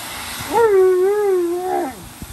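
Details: Tonka, a giant Alaskan Malamute, crying like a baby and unhappy; a single drawn-out, wavering whine that rises sharply, holds a little, then dips and swoops up again before fading, indoors.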